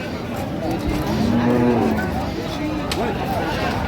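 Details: Cattle at Ambari Haat livestock market in Dinajpur, among cows and calves offered for sale, recorded 3 September 2025; one low, drawn-out moo holds a steady pitch for about a second amid crowd chatter and market bustle.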